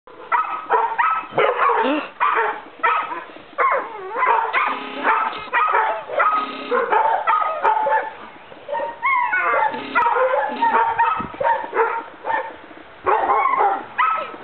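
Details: Three 4-month-old male Weimaraner puppies yip, whine and bark in quick, overlapping bursts as they play.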